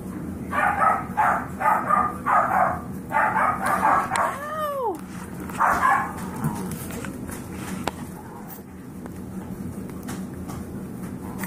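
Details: Playful five-week-old foster Yorkie puppies let out a quick series of sharp, high yapping barks about four per second, then a rising-falling squeaky whine, with low steady room hum underneath.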